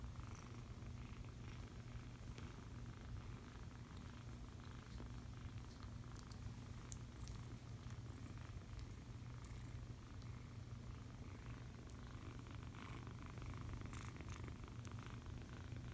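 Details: Low, constant purring from a foster kitten held and cuddled, the rumble steady for the full length, faint rustles of fur or fabric on top.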